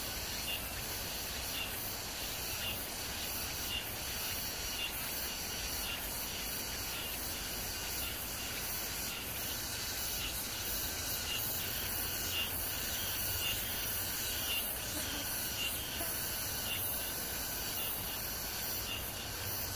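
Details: Summer cicadas along the Han Riverside at Amsa Ecological Park, Seoul, South Korea, early evening, July 26, 2021: layered high rasping buzz with rhythmic pulses roughly once a second, over low background hum.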